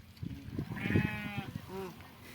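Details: Bleating from a sheep at milking time: one drawn-out tremulous bleat mid-clip and a brief second call near the end, over handling noises and a murmuring voice.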